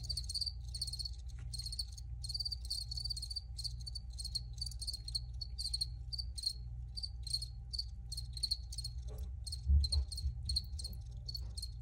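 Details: Cricket chorus of fast repeated high chirps, thinning toward the end, where a brief low knock interrupts over steady background hum.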